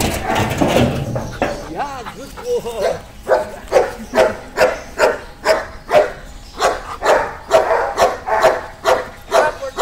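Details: Amos, an 8-year-old Belgian Malinois at a K9 boarding and training school, during a training session: a human voice opens, then sharp barks follow in a steady run, roughly two per second, until the end.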